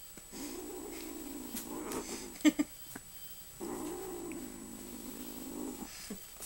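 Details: Kitten growling while guarding food, very protective of anything edible; two long, low rumbling growls of about two seconds each, separated by a pause with a few sharp clicks.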